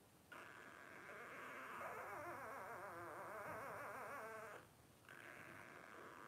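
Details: Litter of five 12-day-old Blenheim Cavalier King Charles Spaniel pups, born New Year 2023: a sustained, tremulous whine rising and falling rapidly for about four seconds, with other pups crying underneath, then a short break and more whining.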